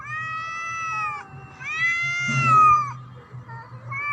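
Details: Black cat threatening another cat with loud, sustained yowls that rise, hold and then drop in pitch. A steady low hum runs underneath.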